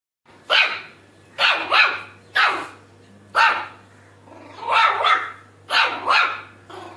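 A Shih Tzu puppy gives short, breathy, raspy barks in quick bursts, some doubled.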